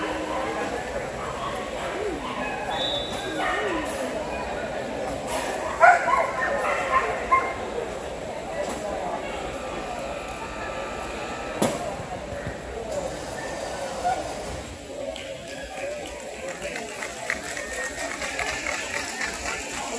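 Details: Kewpie, a dog at a dog show, lets out short, sharp yapping barks in scattered bursts, loudest near the middle, over a constant background of crowd chatter and murmuring voices.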